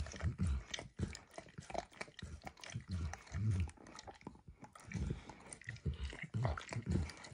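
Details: Emperor Max, a pet dog, licking food off a bumpy orange mat spread with eggs and diluted peanut oil; soft, wet, low smacking laps come in uneven bursts about every half second, with no talking.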